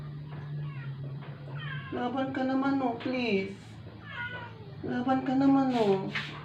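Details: Dying rescued stray cat, indoors after a vet injection, utters two long, bending meows that sag and rise in pitch, each about a second long, over a steady low hum.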